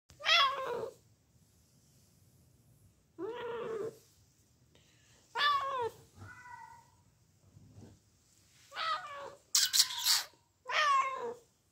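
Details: Bengal cat meowing indoors: about seven harmonic meows of uneven length over twelve seconds, some drawn-out and nasal with a wavering pitch, others short and clipped, separated by quiet pauses.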